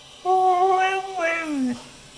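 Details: Snow dog named Fishka, asked about the ottoman, answers with a tonal, howl-like vocalization that holds steady, then slides downward over about a second and a half, in a quiet room.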